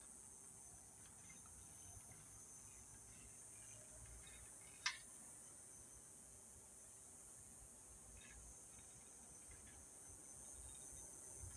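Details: Cicadas singing at sunset in Yuma, a steady high-pitched shimmering drone that holds without a break, with one sharp click midway and a fainter tick later.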